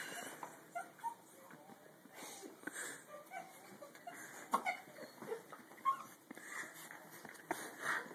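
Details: Bella, a pet dog, tussling with a tube sock, gives short high whimpers and squeaky whines between snuffling, wheezy breaths, with scuffling play noises and a human voice now and then.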